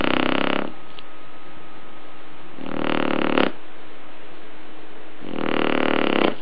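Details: Indoors, a Shar Pei sleeps and snores. Three long, harsh, noisy breaths rasp out roughly every two to three seconds, with a quiet steady hum underneath.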